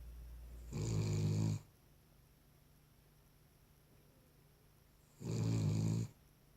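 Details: A Cavalier King Charles Spaniel snores in its sleep inside a room: two long, rough, low rattling snores, each near a second long, separated by about four seconds of near silence.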